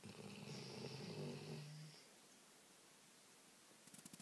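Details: Labrador asleep on the couch, one of two snoring together: a buzzy, drawn-out snore of nearly two seconds that stops abruptly, then quiet with faint clicking at the end.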